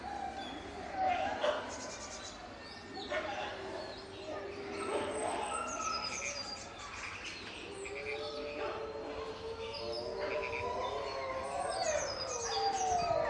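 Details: Caged wolf pack howling and fighting: several overlapping long, wavering howls, some sliding up and down, with small birds chirping high above and a voice at times.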